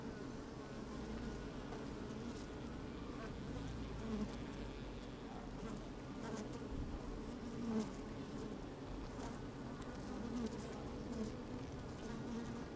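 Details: Honey bees busy at work inside an open hive on a fine, sunny day, microphone slid down into the hive: a dense, steady low hum with layered drones and brief louder buzzes as bees move about.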